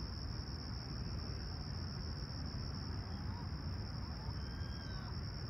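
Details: Crickets chirping at a clear, calm summer sunrise in Toronto's Humber Bay Shores on July 28, 2020, around 20ºC: an unbroken, high-pitched steady trill over a constant low rumble.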